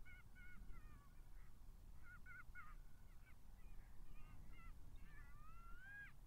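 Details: Golden jackals howling at Matsalu, caught by a migration camera on 23 October 2022 at 17:49: faint, overlapping wavering wails with short falling notes, then one long rising cry, over a heavy low rumble of background noise.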